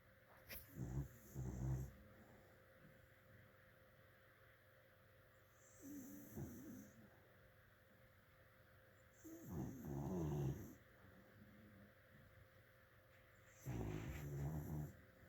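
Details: Sleeping dog snoring: deep, rumbling low snores in about four bursts roughly every four seconds, each a rough rattling breath lasting one to two seconds, with quiet pauses and a faint steady hum between them.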